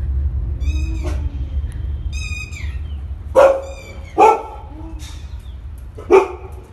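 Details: A Rottweiler reacting to an aeroplane gives thin, high, drawn-out whining tones, then loud, deep, harsh single barks spaced one to two seconds apart, over a low, steady rumble.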